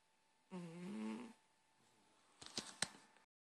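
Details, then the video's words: Sleeping cat gives one buzzy, harmonic snoring breath lasting under a second, followed by a few sharp knocking clicks, with a faint hum throughout. "Snoring kitty"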